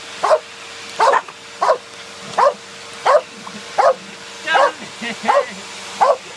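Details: Two Corgis attacking a vacuum cleaner indoors, barking in a steady series of sharp, loud barks about every three-quarters of a second over the vacuum's constant hum.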